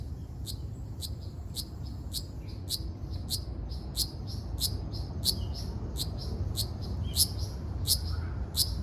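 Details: Ryukyu large brown cicada recorded on Okinawa Island, Japan, on 17 June 2026: sharp, high buzzy pulses repeated about every half second over a steady low rumble.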